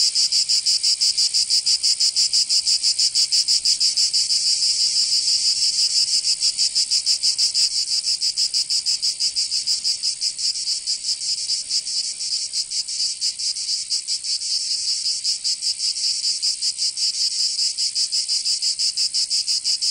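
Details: Cicadas singing in summer in Provence, southern France: a dense, high buzzing chorus pulsing rapidly about three times a second, steady and unbroken throughout, with no other sounds.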